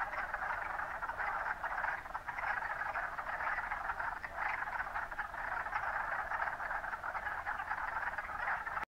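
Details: At Mont Saint-Bruno, wood frogs call together in a thick, unbroken chorus of short, hoarse clucks that swell and dip slightly but never pause, like a flock of ducks quacking softly in the distance.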